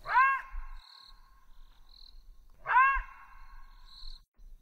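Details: A Southern African side-striped jackal (Canis adustus) gives two short, rich yelping hoots about two and a half seconds apart, each bending slightly downward, with faint high chirps between them.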